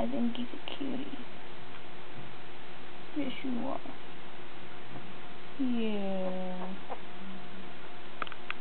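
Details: A few-days-old brown boy puppy, largest of Molly's litter of eleven, lets out scattered thin squeals and one longer falling whine with a short echoing tail, over steady indoor hum.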